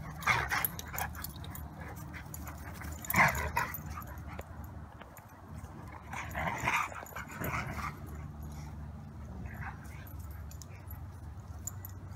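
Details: Siberian Huskies Maya and Pearson playing in the yard after their morning walk on a peaceful morning; short whiny, yodel-like vocal bursts come near the start, around three seconds and again at six to seven seconds over a low steady rumble.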